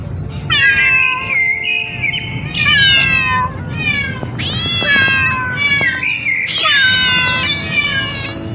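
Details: Several cats and kittens exploring new places give a near-continuous run of bright, wavering meows, overlapping and rising and falling in pitch, over a low rumbling background.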